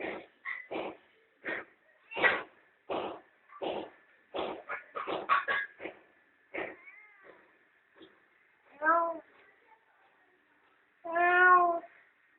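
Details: A mother cat and her playful kittens basking in the sun at home; a burst of short, clipped sounds gives way to two clear harmonic meows near the end, with faint background noise.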